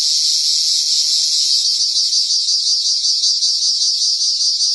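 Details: Cricket giving a loud, continuous high-pitched buzzing trill with a faint rapid pulsing texture, steady in volume and pitch throughout, no other sounds.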